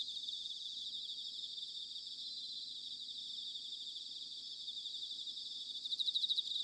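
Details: Recorded in Sanuki, Chiba, Japan in autumn, bell crickets keep up an even high-pitched ringing drone, ending in a louder rapid pulsed trill near the close; faint low rumble beneath.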